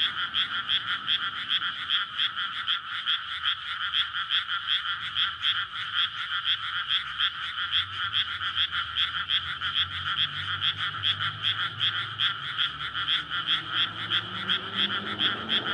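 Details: Nighttime frog chorus in May from a flooded rice paddy beside a road, frogs calling in courtship to breed; continuous rapid croaking throughout, while a passing vehicle's low engine rumble rises toward the end. Recorded on a Sony PCM-D100.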